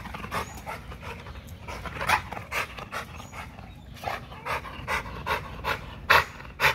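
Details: XL American Bully at Caona Bullys working out on a heavy-duty spring pole, breathing in rapid, rhythmic, breathy pants about twice a second, with sharper bursts near the end and low rumbling background noise.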